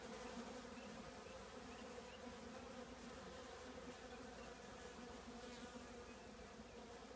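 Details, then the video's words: Colony of honey bees inside an old trash can producing a continuous, even droning hum, layered tones low and steady throughout with no breaks or distinct passes. "10 minutes with the trash can bees"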